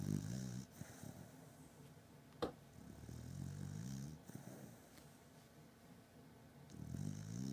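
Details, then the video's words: A pet beagle named Batman, deeply asleep, gives soft, low snores. Short rumbling breaths rise and fade at the start, middle and end, with a sharp click near the start and a quiet room behind. "Beagle snoring"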